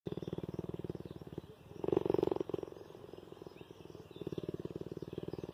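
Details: Cheetah purring with affection toward its human caregiver; a steady, rapid pulsed rumble at about four beats per second, briefly broken midway by a louder, rougher burst before the even purring resumes.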